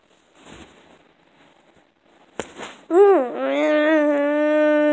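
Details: Screaming frog: after soft rustling and a sharp knock, a loud, sustained, nasal scream starts near the three-second mark, dipping briefly and then holding a steady, harmonic-rich tone to the end.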